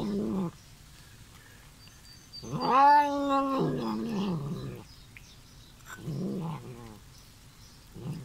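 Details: Bengal kitten, a loud visitor, vocalising while eating: low, drawn-out growly meows in three bursts, the middle one longest and loudest with a wavering tone, separated by pauses in an indoor setting.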